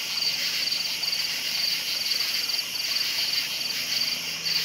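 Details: Crickets chirping at night: a clear high chirp of a few rapid pulses repeats roughly every half second, about ten times. A steady ringing chorus of more crickets fills the background.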